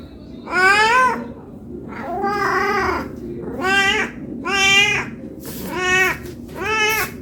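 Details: Cat begging for food out of hunger, giving six bright, wavering meows in quick succession, roughly one per second, some longer and flatter, over a faint background hum.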